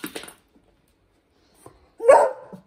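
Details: Single loud, harsh bark near the end from a dog indoors, Hendo the 10-month-old Pomeranian or Salto the beagle, while practising ringing a bell; a few soft earlier yaps and a woman's brief voice precede it.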